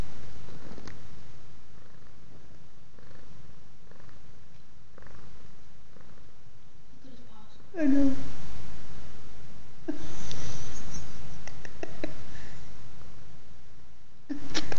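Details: Holstein, a pet cat, purring while kneading his favourite blanket indoors; a steady, low rumbling purr runs throughout, with louder rustling bursts of movement and a faint voice now and then.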